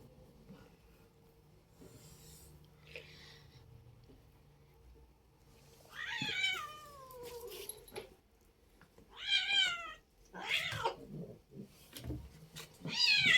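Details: Playful pet cat indoors, meowing in a series of drawn-out, wavering cries that slide downward, several in a row with rustling and a person talking softly between them.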